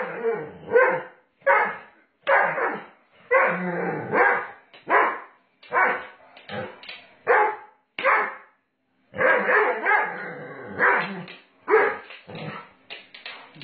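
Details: Doberman Pinscher named Sage during rough play with its owner, giving a rapid series of harsh growling snarls and gruff bark-like bursts, about one every second, with brief pauses and a longer gap midway.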